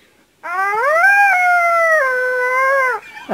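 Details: After a brief quiet start, a dog lets out a rising, then level, clearly tonal howl lasting about two and a half seconds, dipping at the close, followed by a short low whine.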